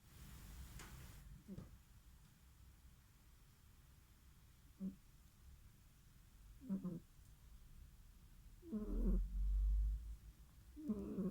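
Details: Sleeping cat snoring softly: low, rough breaths that come roughly every two seconds and grow slightly louder toward the end, with a dull thump near the close in a quiet room.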